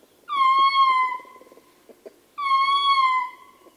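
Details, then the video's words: Male ring-tailed lemur howling at close range: two long wailing calls, the first opening with a brief upward flick before a steady, slowly falling tone, with soft grunts and murmurs from the troop between them. "Ring Tailed Lemur / MCU Howling Calls From Male. Grunts And Other Calls From Other Members Of The T"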